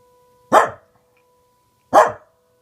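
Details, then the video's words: Two sharp, separate barks from Reina, a Welsh Corgi, set off by a tornado siren that drones faintly between them. "Welsh Corgi barking and howling at tornado siren"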